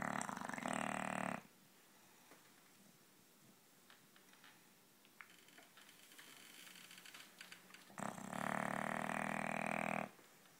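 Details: Male English bulldog snoring loudly in his sleep: a harsh rattling snore opens, then about six seconds of quiet with faint clicks, then another long, rough, pulsing snore lasting about two seconds.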